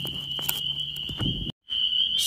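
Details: Spring peepers (Pseudacris crucifer) call in spring at night beside a big ditch. Their dense chorus merges into one steady, shrill, high-pitched ringing.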